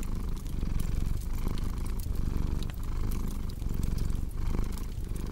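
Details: Cat purr heard close and loud, a thick low vibration swelling in regular waves roughly every second, with soft fire crackles and occasional pops behind it.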